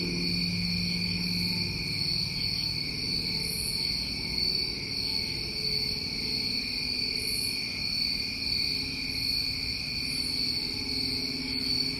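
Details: New England summertime crickets keep up a constant high trilling drone, while a low humming tone sounds briefly at the start and a fainter low hum returns near the end.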